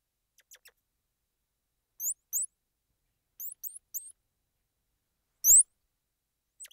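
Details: Thin, very high squirrel monkey peeps, short upward-sliding whistles in pairs and small groups, sparse and soft, with one louder sharp squeak near the end.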